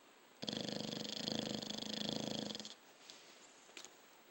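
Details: Dog snoring with one loud rattling breath, a dense rapid flutter of just over two seconds that swells and then fades, followed by near silence broken by small soft ticks.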